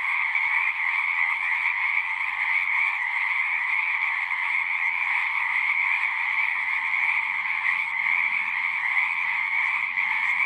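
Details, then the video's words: Many frogs singing at once, dense overlapping croaks forming a constant two-banded drone that never breaks, plus a faint low rumble beneath the chorus. "One hour of singing frogs."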